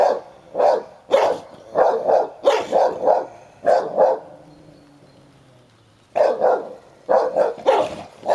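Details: Sherlock the Hovawart, aged ten, and one-year-old Am. Staff. Heini scuffle over a toy: quick runs of paired barks, a short lull with low grumbling near the middle, then the barking starts up again.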